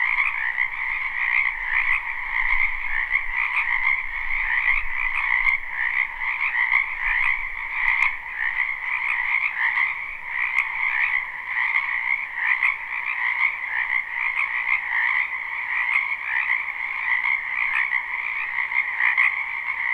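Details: Live, unlooped recording of a spring wetland full of frogs: continuous pulsing trills from a large chorus, with a faint low rumble in the background during the first seconds.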